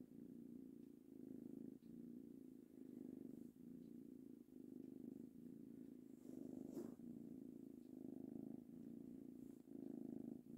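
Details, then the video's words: Tango, a three-month-old ginger kitten, purrs happily under petting: continuous low throbbing rumble in even pulses roughly every second, with one faint rustle near the middle. "Petting equals purring"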